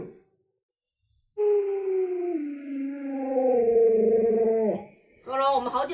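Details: Lolo, a pet Alaskan Malamute, vocalizes indoors: a long, drawn-out, tonal woo that starts steady, dips, then rises and wavers for about three seconds, followed by a brief higher yelp-like burst.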